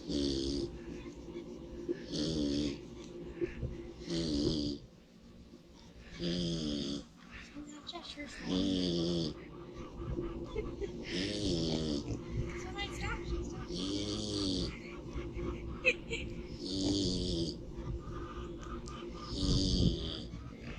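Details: Domestic pig sleeping in the sun and snoring loudly; breathy, rasping snores come in regular bursts about every two seconds, each with a hissy upper edge, over a steady low background hum.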